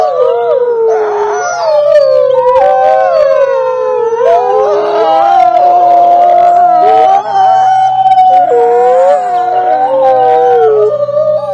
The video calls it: Wolves howling together